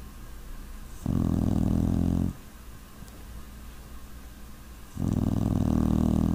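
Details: Snoring from a sleeping puppy: deep, buzzy, low-pitched rumbles around a second long, two of them separated by roughly three seconds of soft breathing hush.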